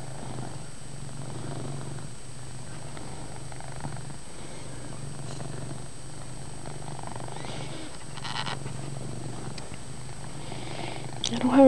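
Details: Loud, continuous purring from Chase the pet cat, recorded in a poorly lit room. The low rumble rolls on without a break, with brief rustles near the end and a little quiet human talk.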